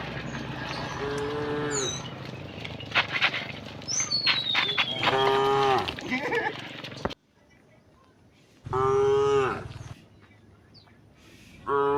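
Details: Tame cows in a herd heading through a quiet village to rice fields; several overlapping nasal moos in quick succession, then a pause of near silence before another long moo and the start of one more.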